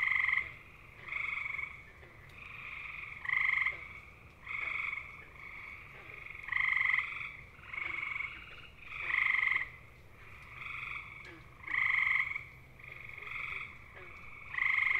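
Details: Chorus of gray tree frogs, Hyla versicolor, whose males sing for hours to find a mate: musical, bird-like pulsed trills roughly a second long, alternating near and far callers almost continuously.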